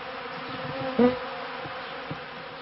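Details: Honeybees from a beekeeper's hives, end of the 1995 season into 1996: a close, steady wing hum with a single louder, slightly rising tone as a bee passes near, then the drone settles back.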